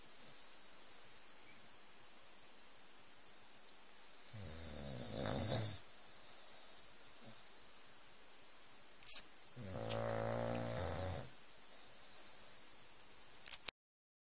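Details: An old Staffordshire Bull Terrier sleeping on cushions on a settee under a blanket snores in two long, rattling breaths with a steady hiss between them.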